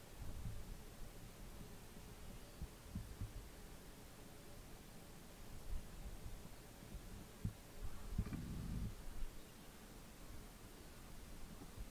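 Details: Only low rumbling thumps and muffled handling or wind noise are heard, with no animal calls.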